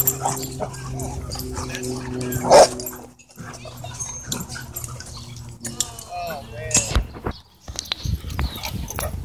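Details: Many dogs playing at a dog park; a loud single bark near the start, then short yips and whines over a steady low hum, with human speech nearby.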